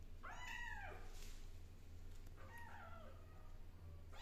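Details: A kitten scratching her claws on a blackboard gives two drawn-out, arching meows, the first louder and longer, the second softer a couple of seconds later, over a steady low hum.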